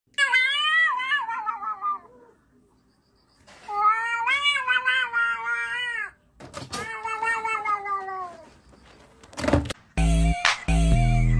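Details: Kittens meowing indoors: long, wavering, high-pitched meows with rich harmonics, a pause, then two more drawn-out meows, ending with brief clattering noise and a harsh burst.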